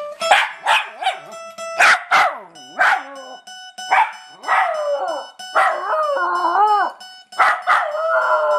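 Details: A dog yelps and howls in wavering, bending tones along with its owner's plucked guitar notes on a lazy Sunday.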